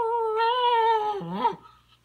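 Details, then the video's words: Bailey, a puppy, talking back to his owner after being told not to bother his older brother: a long, drawn-out whining howl held level, then bending down and breaking into a short wavering moan, in a small indoor room. "Puppy Talks Back to Mommy"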